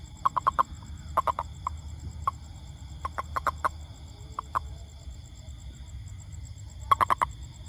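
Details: Toad giving sharp, clucking pulses, singly and in rapid runs of three to five, spaced irregularly through the recording, with a constant thin high-pitched hum and low rumble behind.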